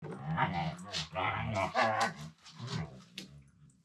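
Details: Two Siberian Huskies playing together indoors on a room floor, one talking in a low-pitched voice; harmonic moaning and grumbling sounds rise and fall in several connected phrases over about four seconds.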